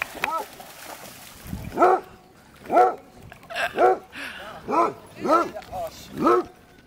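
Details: Dogs including a basset hound at a dog park in Amsterdam, Holland, giving a run of arched, mid-pitched barks about once a second, with harmonics stacked above, and brief human speech between them.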